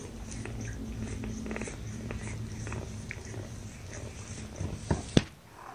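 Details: Young kittens, five of a litter born April 14th to mother cat Gamora, resting in a lap indoors in May 2018; a low steady rumbling purr runs throughout with soft ticks, ending in a couple of sharp knocks.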